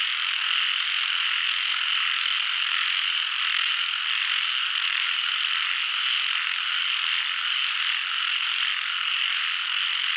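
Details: Many frogs calling together as a continuous, even chorus. The sound holds a constant loudness throughout, and the voices blend into one seamless, shimmering drone without breaks.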